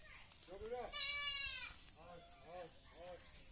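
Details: Black Bengal goats on a farm in the morning, a loud wavering bleat followed by several shorter bleats, with a faint steady high hiss in the background.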